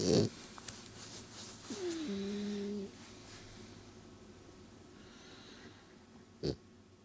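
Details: Bubbles, a pet cat, being tickled indoors in a small room: one drawn-out, steady, moaning mew lasting about a second, framed by short rustling bursts at the start and near the end, with a quiet room hum beneath.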